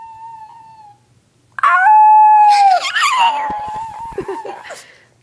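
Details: Onyx the dog: a faint, thin tone, then a brief steady howl that breaks into a rough, noisy burst with scattered clicks. A wavering howl continues underneath.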